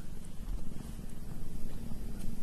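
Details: Domestic cat purring: a steady, low rumbling throb that pulses quickly and evenly throughout, with almost all of the sound deep in the bass and nothing else clearly heard.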